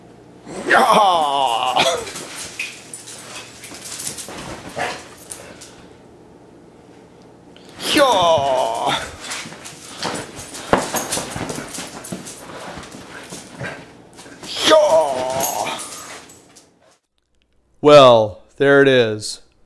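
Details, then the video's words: Several Basset Hounds give drawn-out, harmonic, bugling bays in separate bursts: near the start, around eight seconds, and around fifteen seconds, then two short sharp yelps near the end. A low steady hum fills the gaps. "Basset Hound Security Dogs!"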